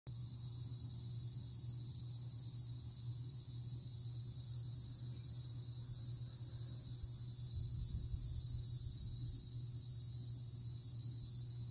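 A cicada sings a steady, high, hissing buzz that runs without a break.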